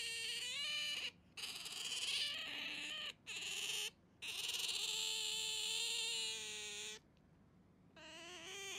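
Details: Pet otter at home calling while grabbing a person's hand: long high whining squeals with steady and slightly rising pitch, several seconds each, separated by short pauses.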